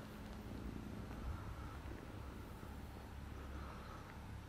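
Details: Kitten beside its father cat, with a continuous low purring rumble that holds level for the whole stretch, muffled and close, over faint steady background hum.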